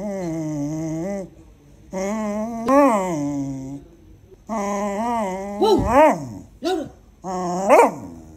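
A beagle gives drawn-out, wavering howls that rise and fall, sounding almost like singing.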